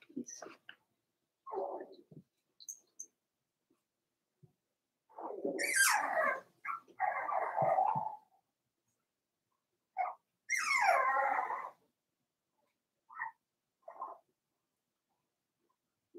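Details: Four-week-old Cavalier King Charles Spaniel puppies in a puppy pen, giving scattered short whimpers and two longer wavering whiny cries, separated by silence.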